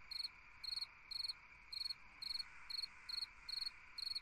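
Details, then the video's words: Summer-night cricket song: nine crisp, high chirps, each a quick cluster of pulses, spaced just under half a second apart above a soft continuous insect drone. "Chant d'un grillon dans une nuit d'été / Singing a cricket in a summer night"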